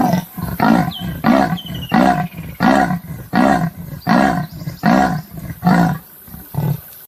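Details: Leopard giving a continuous run of deep, hoarse, sawing grunts, about ten in seven seconds, each a rough coughing rasp in an even rhythm.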